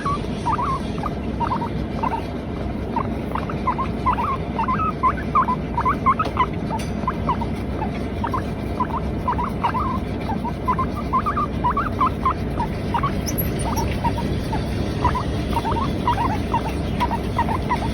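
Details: Latte, a female pet Teddy guinea pig, keeps up a long run of quick squeaky chirps, irregular bursts of brief rising notes two to four per second, set against a constant low hum.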